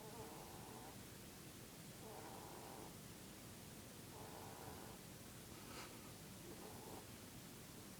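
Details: Mr. Keeks, a sleeping Dutch/Polish mix pet rabbit lying in his Peep-pose, snores in four soft, hoarse breaths about a second long, spaced roughly every two seconds beneath a steady hiss.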